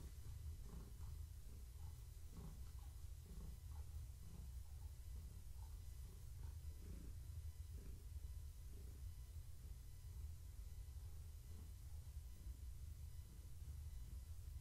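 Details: Pregnant long-haired tabby named Gaia purrs as she is stroked on an evening activity check; a deep continuous purr pulsing rhythmically with her breathing, rising and falling close to the microphone in a quiet indoor room.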